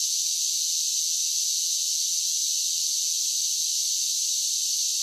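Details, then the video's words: A wall of summer cicada song: a bright, evenly pulsing high buzz that never pauses, steady in volume from start to finish. "Cicada Sounds"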